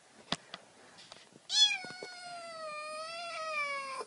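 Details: After a few soft clicks and taps, a domestic cat lets out one long, steady meow of about two and a half seconds that sinks slowly in pitch. The cat's 'meo meo' is said to chase off mice.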